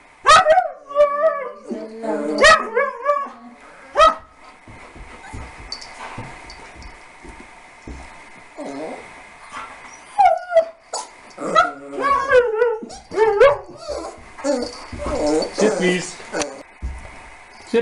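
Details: Young puppy Harley meeting and playing with Lasky, a Siberian Husky; frequent high, wavering whimpers and sharp yips come in quick clusters throughout, with some human voices.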